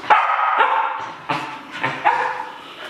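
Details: Shetland Sheepdog, pet indoors, dancing about while waiting to go outside, gives five sharp, bright barks in three seconds. Each bark starts hard and fades quickly, with short gaps between them.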